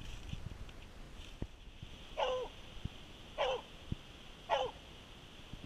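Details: A rescue Treeing Walker Coonhound, a former hunting dog, bays at a tree after tracking a scent, jumping as she gives three short, ringing barks about a second apart over a low background hum.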